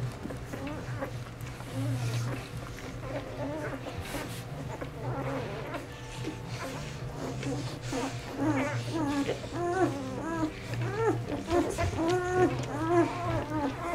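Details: Ten four-day-old puppies of the dog Aiki, being groomed by their mother on Mother's Day, 12 May 2013: thin arching whimpers and squeaks, sparse at first then frequent and overlapping in the second half, over a steady low hum.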